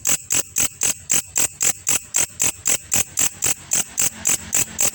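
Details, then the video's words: Grasshopper, locally called belalang kecek, recorded as a master track for training songbirds: sharp buzzy pulses with a bright high ring, repeated steadily about four times a second, some nineteen bursts, over faint low background noise. "belalang masteran burung juara"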